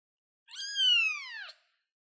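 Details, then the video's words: Kitten on a chair producing one loud, sustained meow lasting about a second, steady then dropping sharply in pitch at the close; clean background. "baby cat sounds cute kitten kitty cat on the chair"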